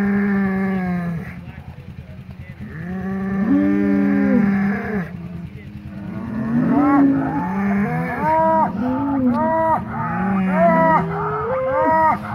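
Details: Fighting polled Hereford bulls, two hornless bulls being remixed in pasture after the breeding season. Long groaning moos open the recording, then a rapid run of short rising-and-falling bellows tumbles one after another, backed by a low droning rumble.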